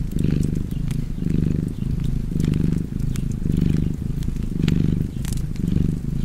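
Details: Deep vibrating purr of a cat, rising and falling in about six breath cycles, accompanied by soft crackling and occasional pops from a nearby fireplace.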